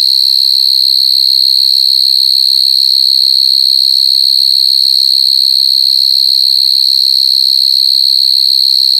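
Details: Crying coconut crickets give one continuous piercing whistle-like buzz, high and even in pitch and volume from start to end, over a faint, barely audible low background.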